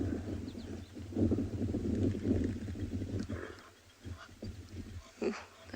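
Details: A hippo in the water at sunset in Tswalu Kalahari Reserve, South Africa, in June, gives a deep, rapid run of grunting pulses like an old car trying to start, then harsher honks, with Egyptian geese calling nearby.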